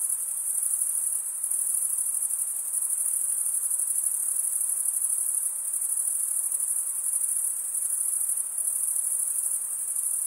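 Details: Unceasing high-pitched stridulation from male crickets fills the whole stretch as an even, slightly pulsing trill, quiet otherwise, with no birds, wind or voices.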